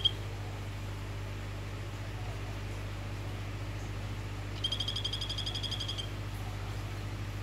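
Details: Male orange-form Phyllobates vittatus calling to a female gives one rapid, even, high-pitched trill of rattling pulses lasting over a second, after long quiet; a steady low hum runs underneath throughout.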